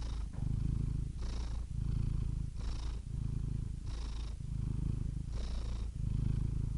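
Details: Low rhythmic purring of a cat, steady rumbling pulses grouped into breaths roughly every 1.3 seconds, with light breathy hiss between the louder phases.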